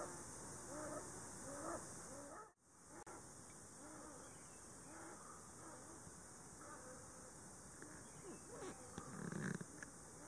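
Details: Hokkaido sable calling from a tree hollow in a Shiretoko forest, Hokkaido, Japan, on 26 July 2018, with a pair huddled together in the breeding season; faint, short clucking notes repeat roughly every second through steady background hiss.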